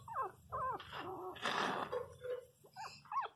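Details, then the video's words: Pinscher puppy whimpering, a few short downward-curving whines at the start and end with a burst of broadband rustling noise between; steady low hum underneath. "Filhotes de cachorro pinscher chorando"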